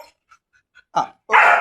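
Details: Chained German Shepherd, first time on a chain, after faint scattered ticks lets out a short gruff woof and then one loud, rasping bark.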